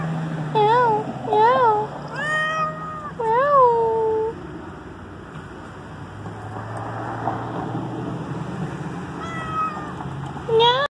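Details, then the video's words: A pet cat, outdoors on October 14, 2017, meows to be let back inside as rain approaches. It gives several short, bent meows in the first four seconds, then two more near the end, while a woman talks softly to it. "meows to go back inside"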